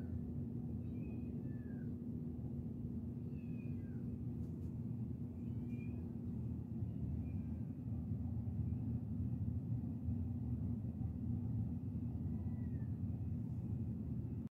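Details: Kittens chirping: short, faint chirps that bend up and down, scattered in small bursts near the start, in the middle and near the end, over a steady low hum.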